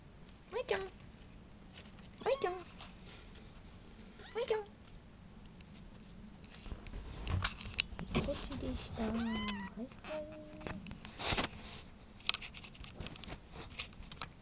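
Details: Kitten Marino-chan, a foster cat seeking adoption in Okayama, Japan, wanders indoors looking for where a calling voice comes from while playing. Short, bright meows rise and fall about every two seconds, then a quicker wavering pair, over a woman's voice calling her name.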